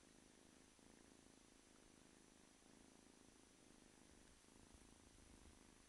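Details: Male kitten, roughly eight to nine weeks old, purring continuously; a soft, even low-pitched rumble with rhythmic pulsing and slight dips in loudness every second or two.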